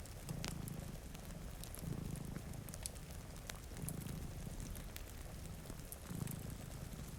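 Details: Two cats sleep in front of a rainy window, one purring softly. Low rumbling bursts rise and fall about every two seconds under the steady patter of rain and the sharp snaps of a crackling fireplace.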